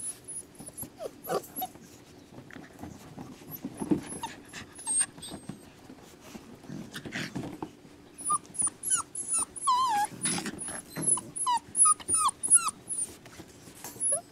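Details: Rescue puppies whimpering indoors: scattered high, thin whines for the first stretch, then a busier second half of rapid, wavering squeals and rising-falling cries overlapping one another, with soft rustling and a steady low hum throughout.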